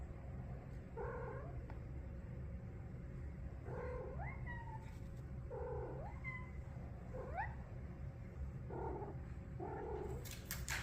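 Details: Big feral street cat sitting on a couch indoors, talking with a series of short, bending meow-like calls, about six spaced every one to two seconds, over a steady low hum.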